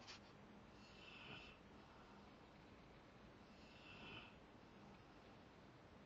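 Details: Rottweiler sleeping and snoring softly: two hoarse, hissing breaths about three seconds apart with a faint low drone beneath, plus a small click at the start, indoors.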